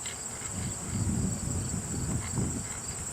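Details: A swarm of honey bees being removed from a lilac bush, quite active, giving a dense low droning hum throughout, with a steady high whine above it.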